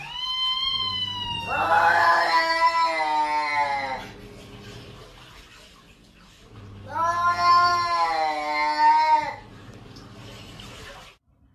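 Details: Cat giving two long, drawn-out wailing yowls, each lasting about two and a half seconds and separated by a pause, with a strained, rising-and-falling pitch. A low hum sits underneath.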